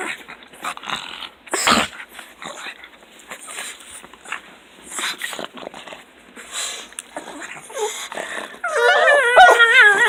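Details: Two pet pugs, one of them fawn, greet their owner arriving home from work indoors: irregular grunts, snorts and short squeals, ending in a loud wavering, yodel-like whine with warbling pitch.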